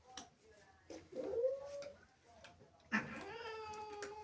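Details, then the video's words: Angry female house cat, jealous of playful kittens that have entered the house, giving short rising yowls, then a long, steady, harmonic-rich wail that holds its pitch; quiet indoor room. "Angry cat makes incredible sounds"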